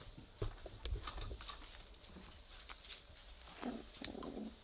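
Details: Three-week-old Weimaraner puppies playing together and starting to growl: low rumbling grunts in the first second, then a pair of short, husky, mid-pitched growls near the end, over scuffling and clicking sounds.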